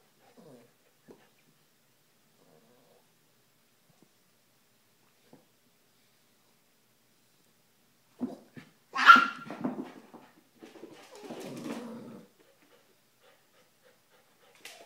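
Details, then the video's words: Airedale Terrier puppy playing with a Silky (Yorkshire) Terrier indoors; after long quiet, one sharp bark bursts out, followed by a rough, low growling stretch lasting about a second and a half, with faint scuffles at the edges. "New Airedale Terrier Puppy vs Silky (Yorkshire) Terrier"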